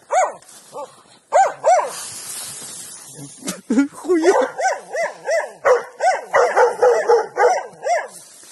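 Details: Hunting dogs bark in rapid, excited bursts, baying at a wild boar they found lying in its nest in a marsh, with a young dog standing hesitating.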